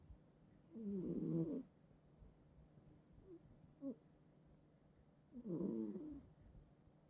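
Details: Sleeping house cat snoring in bed: two rough, rattling snores roughly four and a half seconds apart, each lasting about a second, with a faint soft snuffle between them in a quiet indoor room.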